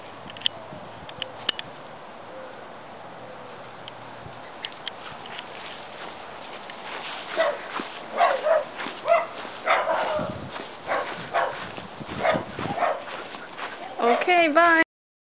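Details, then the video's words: Siberian Husky puppy, a young male, trying to escape: a run of short yips and whimpers from about seven seconds, ending in a drawn-out, wavering, rising and falling whine. "Baby Husky Plans His Escape"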